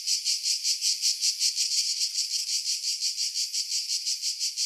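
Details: High, rasping cicada song pulsing rapidly and evenly, recorded in July 2018 in pine trees roughly 50 m above the sea at Pefkos Bay, Skiros Island, Greece, on a Sony RX3 with external Sony mic.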